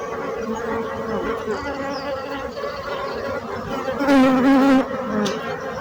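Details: Dense bee drone, steady and low, with a single insect buzzing loudly past near the end, its whine briefly rising and wavering before the hum returns to an even level.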